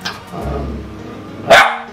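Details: Pet cockapoo dog giving a single short, sharp bark on command to say hello, after a person softly repeats "hello" indoors.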